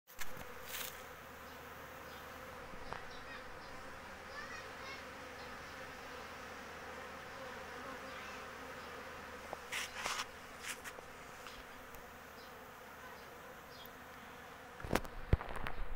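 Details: In spring, with swarming season approaching, kept honey bees collecting nectar and pollen make a steady, low droning hum from many beating wings, with a few brief knocks.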